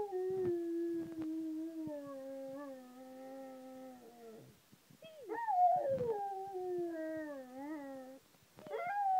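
A Rottweiler howls in long, sliding tones, each slowly falling, with brief breaks between them.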